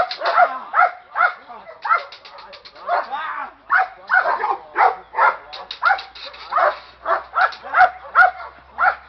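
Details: A young Presa Canario agitated by its handler during early training gives rapid, rough barks in uneven bursts, sometimes doubled, with a person talking in the background.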